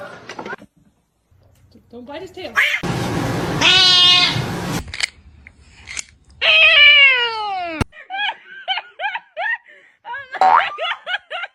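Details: Kitten meowing indoors: a long downward-sliding meow, then a run of short, clipped mews repeated in quick succession, mixed with people talking, laughing and background music.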